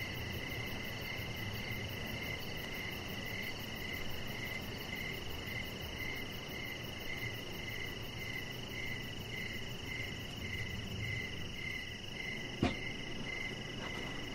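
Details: Crickets chirping in the evening beside a deck lit with decoration lights, where a chihuahua puppy lies; high, pulsed chirps repeat about twice a second over a steady high whine and low background rumble, with one sharp click near the end.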